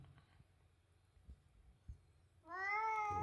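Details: House cat Latte answering insistent, repeated food demands with a scolding meow: quiet room with faint knocks at first, then a strong, rising, sustained meow in the final second.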